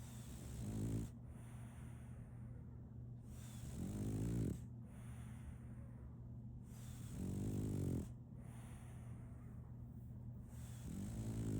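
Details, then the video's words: Solaimy, a female French Bulldog puppy, snoring while asleep: four deep, rasping, buzzy snores on the in-breath, each lasting about a second and coming roughly every three and a half seconds, over a steady low hum and faint hiss. "RONQUIDO de un French Bulldog (SOLAIMY)"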